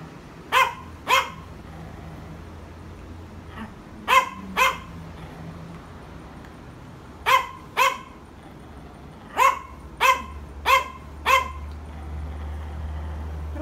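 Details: Yorkshire Terrier barking in a provoking manner: about a dozen short, sharp barks in clusters of two to four, spread across the recording, with a low hum underneath.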